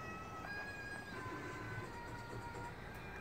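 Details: Faint, low background hum with soft thin tones and distant traffic-like rumble, with no animal voice heard.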